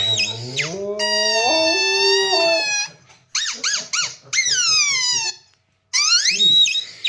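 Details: A Siberian husky reacting to a squeaky sound gives drawn-out, wavering howls and yodel-like whines, mixed with short high squeaks.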